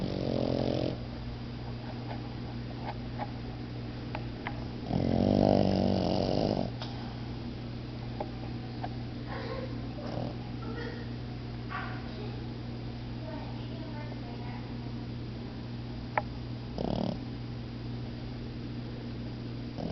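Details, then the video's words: Napping puppies Momo and Lela, with a short rasping snore at the start and a stronger, rattling one about five seconds in, then mostly quiet breathing, faint rustles and a low constant hum. "Momo & Lela naping and snoring"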